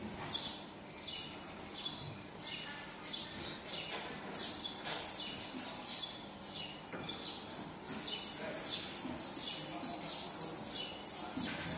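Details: Crying for its mother, a baby marmoset gives rapid, high squealing notes, falling in pitch and clustered in bursts about every second, growing denser and louder toward the end.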